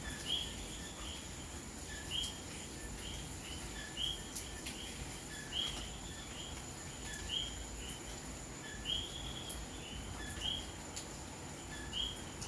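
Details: A common coquí calls its two-note "co-QUI", a low note then a higher whistle, over steady rain on a May night in Santurce, San Juan, Puerto Rico.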